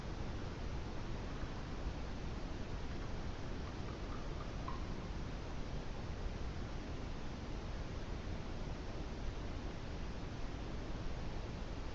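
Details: Only steady, low rumbling background noise with faint ticks is heard, with no clear animal voice.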